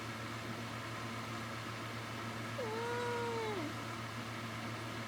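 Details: A pet cat indoors, a female doing her wave to ask for attention while her owner lies in bed, gives one soft, short meow that rises then slides downward, over a steady low room hum.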